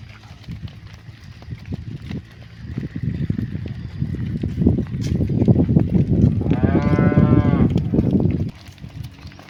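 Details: Cow lowing while being herded back to the barn in the afternoon, calling to the herd; a long harmonic moo rises out of heavy low rumbling and shuffling noise near the end, then the noise drops away.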